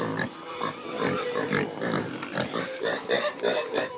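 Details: Creole pigs in rural Haiti squealing at morning feeding, just about to be fed: a dense, continuous chorus of overlapping harsh squeals with repeated rising and falling shrill cries from several animals.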